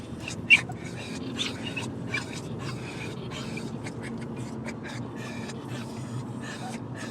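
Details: Excited pet dogs in a car heading to their grandparents' house pant rapidly, with short breathy huffs and snorts and a brief squeaky whimper early on, against a constant low road rumble.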